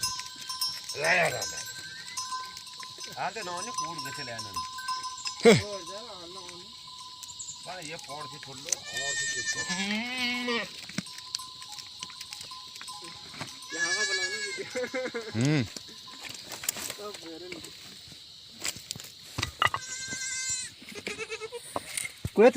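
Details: Himalayan goats in the jungle of an Uttarakhand village, India, giving wavering, quavering bleats in several bouts, mixed with people talking and a steady high hiss throughout.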